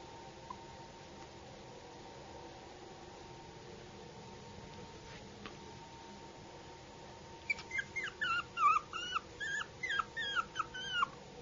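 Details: A young Yorkshire Terrier stays quiet through a long stretch of faint room hum, then breaks into a rapid run of thin, squeaky whines and yips, about a dozen in the final four seconds.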